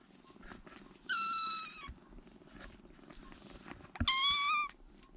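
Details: A rescued baby kitten, one of three huddled together in a corner to keep warm, gives two loud, high, drawn-out mews about three seconds apart, each with a slight downward bend, over quiet room background.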